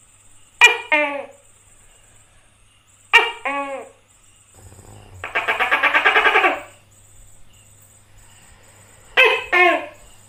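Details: A tokay gecko (Gekko gecko), a species common in Southeast Asia, gives loud, two-part barking "to-kay" calls with a buzzy rattle between them.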